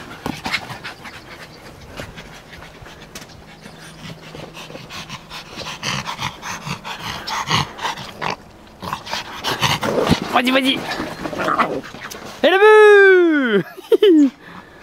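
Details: Excited Yorkshire Terrier playing ball, shooting it into an empty net, pants hard in rapid breaths while a French voice cheers "vas-y"; near the end a loud arching, tonal whine-like cry rises and falls twice.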